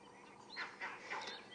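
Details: Monkeys on safari give a short run of harsh, honking alarm calls at night or early morning, warning of a nearby male lion heading toward the observers.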